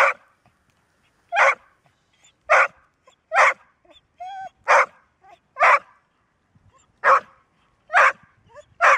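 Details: Golden Retriever, a dog said to bark rarely and only when needed, barking persistently: short, loud, broad barks about once a second, nine in total, with one brief thin whine in the middle.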